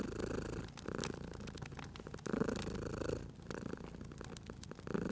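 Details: Domestic cat asleep at a crackling fireplace, purring in a cozy spring ambience; deep throbbing purr in pulses roughly every second, with wood-fire crackles and snaps scattered over it.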